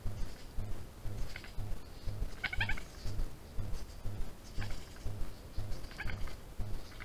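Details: Trail-camera recording of a European badger cub, 16 June 2021: three short bursts of harsh, chattering squeals a couple of seconds apart, set against a constant low pulsing hum.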